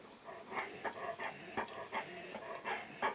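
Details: Teddy, a male Old English Sheepdog nearing twelve, recently clipped and recovering from a double cataract operation, pants in quick, uneven bursts of breath several times a second while his owner asks about going for walkies.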